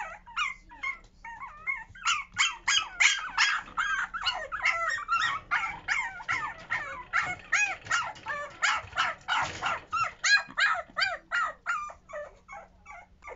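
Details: Newborn puppies being toilet trained, rapid repeated high yelps and squeaks, about three per second, steady and insistent throughout, with sharp rising-and-falling pitch on each cry.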